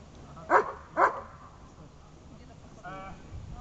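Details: German Shepherd at its first protection training, two loud sharp barks about half a second apart, then a short quieter voiced sound and low background noise.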